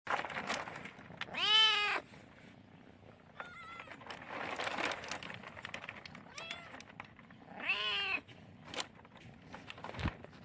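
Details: Talkative kitten, a Chinese rural cat that also licks hands, gives two loud, drawn-out harmonic meows about six seconds apart. Softer, shorter mews come between them. Faint rustling and clicks sound in the background.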